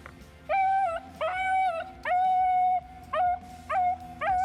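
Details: A scent hound giving tongue while chasing on a ground trail, letting everyone know it is on the trail so the hunter can follow; six drawn-out, steady-pitched bays, each rising sharply at the start, repeat about every half second to second.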